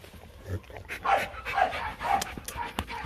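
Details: Panting from young Rottweilers Na and No (Nano and Nina) of the Rottweiler Gervi kennel during play; short airy huffs repeat about twice a second, with faint voices and light rustling nearby.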